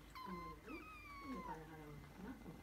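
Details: Kitten meowing quietly while petted on the forehead: one drawn-out, clear meow sliding downward over about a second and a half, followed by softer low murmuring sounds in a quiet room.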